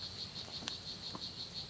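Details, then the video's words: Strawberry poison frog calling at La Selva Biological Research Station in Costa Rica. A steady train of short, high buzzy pulses runs about six per second, with a couple of faint clicks in the forest background. "Oophaga pumilio calling"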